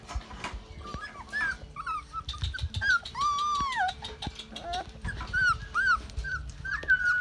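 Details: Rottweiler puppies on day 33, amid potty training, whimper and whine: wavering nasal cries, one long arched whine rising then sinking, then a string of short squeaky yelps overlapping each other, with soft rustling underneath.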